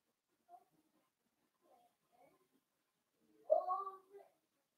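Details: Cavalier King Charles Spaniel puppies, blenheim litter of five, at play with their mother Paris indoors; a few quiet squeaks, then one loud, wavering, harmonic yelp followed by a short whimper.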